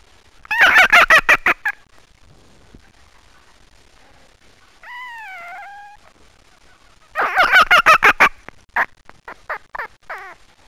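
A red fox gives rapid, stuttering bursts of harsh chattering, broken by a brief whining tone.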